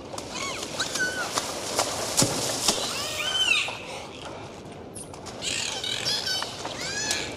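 Several dolphins trade high, looping whistles that swoop up and down, some in quick repeated arcs. Sharp clicks and rasping click bursts punctuate the calls against a steady underwater hiss.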